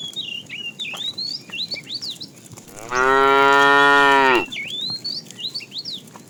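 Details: A tame cow from a herd walking to fresh pasture gives a single steady, strongly harmonic moo of about one and a half seconds, framed before and after by busy, whistled bird chirps.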